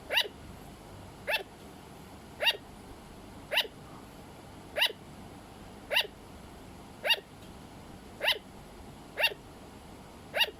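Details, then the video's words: Repeated barking from a pet sugar glider: nine or so sharp, puppy-like yaps delivered at a steady pace just over one per second, otherwise quiet. "Sugar Glider - Hero makes sound"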